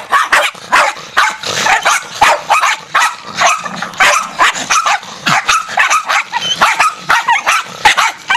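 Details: Feral Jack Russell terriers attacking as a pack, many dogs barking together in a continuous, chaotic volley of shrill yaps and snarling barks with no let-up.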